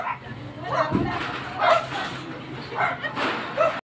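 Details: An angry Chow Chow gives short, harsh barks in bursts about every second.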